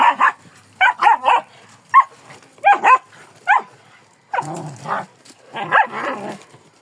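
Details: Kangal dog letting out rapid clusters of sharp, high yelping barks, then a few rougher, broader barks spaced about a second apart.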